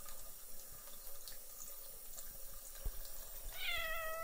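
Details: Russian Blue cat named Shoskat drinking cool water from a faucet indoors; soft irregular splashing and ticking of running water, then near the end a short, clear, harmonic meow that rises and falls, no purring heard.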